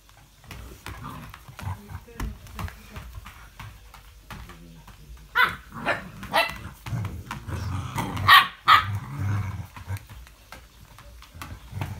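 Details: English Springer Spaniel, dated 05.02.17, giving a run of sharp, broadband barks that grow loudest and most clustered in the middle stretch, separated by quieter rough, growly sounds and brief pauses.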